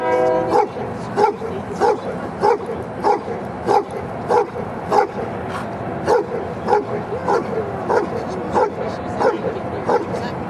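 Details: Giant Schnauzer, almost three years old, barking during Schutzhund training: short, sharp barks repeated steadily about every 0.6 seconds, around sixteen in a row, with faint background talk.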